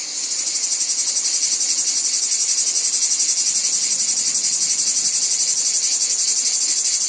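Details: A chorus of cicadas in a wheat field: an unbroken, piercing high drone rising at the start, then pulsing evenly around four times a second throughout.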